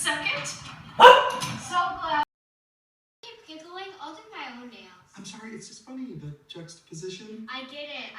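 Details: A Chow Chow guarding her house gives a single loud, rough bark at a doorbell heard on TV, followed by people talking.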